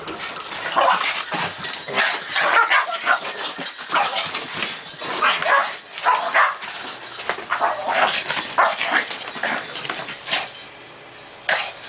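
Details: Japanese Chin and a Chin crossed with Shih Tzu, two dogs from Vancouver unused to snow, playing outdoors in the snow; a run of short yips, whines and barks in quick bursts, with human voices mixed in.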